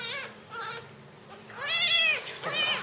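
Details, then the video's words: Baby jungle cat being fed; a few piercing, drawn-out meow-like cries that bend upward then down, the loudest one long and strained near the end, with faint low background hum. "Hranjenje bebe mocvarnog risa - Felis chaus - Jungle cat"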